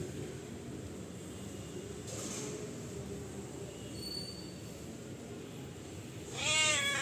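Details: A rowdy domestic cat demanding food gives a single drawn-out meow near the end, rising then falling with clear harmonics, after a long stretch of steady low room hum and faint background noise.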